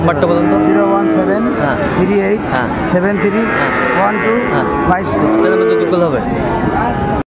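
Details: Bull cattle at a livestock market in Comilla, Bangladesh, on 5 September 2024, where a farmer buys bulls for his farm; drawn-out, bending moos rise and fall twice amid constant crowd chatter and bargaining voices.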